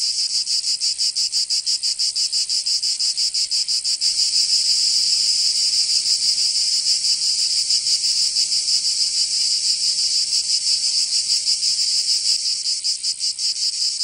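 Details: Cicada chorus on a summer day in Provence, France: high grating buzz, pulsed at first, then swelling into a steadier louder drone before pulsing returns near the end.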